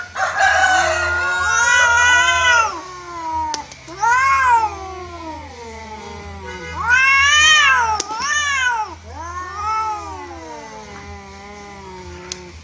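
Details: Fighting feral cats, an orange one on the losing side; repeated arching wails and harsh rising-falling screams in bursts, some overlapping, separated by quieter moaning, with faint low hum throughout.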